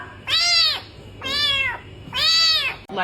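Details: Kitten gives three loud, high, bright meows, each about half a second long and evenly spaced, followed by the start of a fourth; no other sounds.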